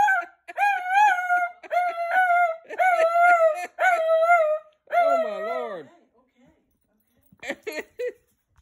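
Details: Rescued Lhasa Apso Gizmo, wildly excited to go outside: a run of sharp, high whining yelps repeated about every half second, ending in a longer bending wail, then a few faint squeaks in a quiet room.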